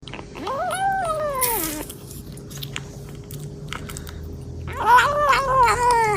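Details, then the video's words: Kitten meowing while eating voraciously: two long harmonic meows, the first rising then falling over about 1.5 seconds, the second wavering near the end, with chewing and small clicking sounds indoors between them. "A kitten eating voraciously while making "meow" sounds"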